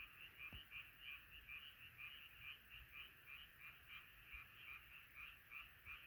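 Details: Frogs calling in chorus at night: bright, quickly pulsed croaks come in rhythmic bursts about three per second, with a faint low thump early on.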